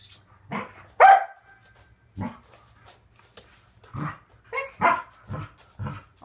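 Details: Waffle, a Corgi, barking while training to extend his back feet: scattered short, punchy barks, one strong burst early then several softer ones, mixed with a trainer's quiet words and clicks.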